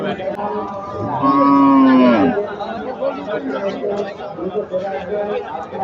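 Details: Cattle at a crowded Eid cattle market in Joypurhat, northern Bangladesh, during last-minute buying: one loud, drawn-out moo that dips slightly in pitch, over steady crowd chatter and men talking.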